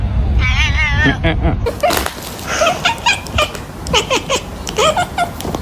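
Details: Domestic cat giving odd vocalisations: a wavering yowl followed by a run of short, rising-falling squeaky mews repeated about every half second against a noisy, rumbling background.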